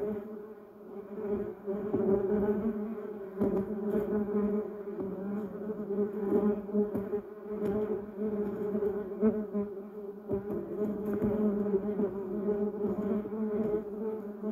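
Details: Bumblebees buzzing around a yellow cassia bush and Duranta erecta in a garden: a steady, droning hum of several overlapping wingbeats, the pitch wavering slightly as bees come and go, with louder swells as individuals pass close.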